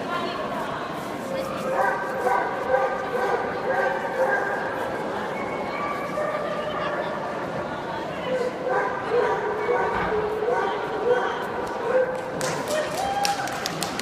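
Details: A litter of male basset hound puppies keeps up an unbroken chorus of whines and yips, some drawn out and wavering. A sharper burst of clicks and scuffling comes near the end.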